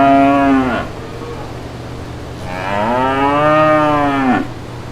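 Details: Brown cows with calves in green countryside pastures; two drawn-out harmonic moos, the first short and falling at its end, the second longer, rising then dropping sharply, over a steady low hum.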